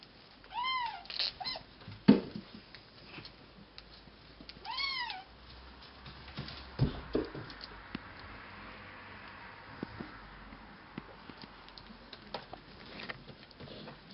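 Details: Cashmere and Bengal kittens at play indoors: a quick pair of high, arching meows, then a third drawn-out meow a few seconds later, among thumps, rustling and faint room noise.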